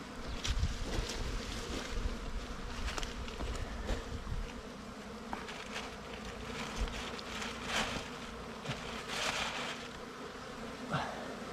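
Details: A humming wild bee nest during a honey hunt, the low drone broken by repeated clattering scrapes and knocks from the digging.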